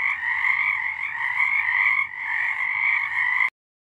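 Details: Chorus of frogs singing after dark in March 2023, a steady high trilling drone of overlapping voices with a brief lull near two seconds, cutting off abruptly into silence at three and a half seconds.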